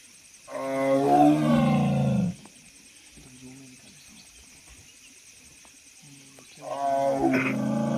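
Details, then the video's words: Tiger roar: a deep, throaty roar of nearly two seconds, then a quiet pause with faint low grunts, then a second roar starting near the end, over a steady high-pitched background hiss. "বাঘের গর্জন"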